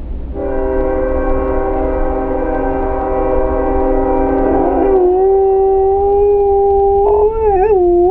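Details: German Shepherd mix dog singing along when it hears a train: steady chord-like tones hold for several seconds, then a long drawn-out howl takes over, sliding slightly and wavering near the end.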